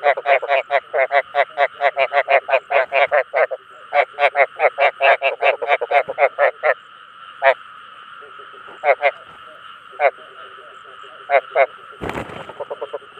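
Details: Chinese edible frog (ếch đồng) giving its call to attract other frogs: a fast series of harsh, pulsed croaks repeated more than twice a second, then sparser single croaks, over a steady droning hum.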